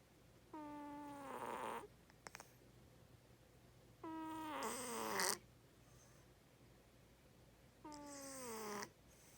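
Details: Sleeping pet cat snoring loud, three snores about every 3.5 seconds, each a rough buzzing tone gliding down in pitch, ending with a breathy hiss; faint clicks between, otherwise a quiet indoor room.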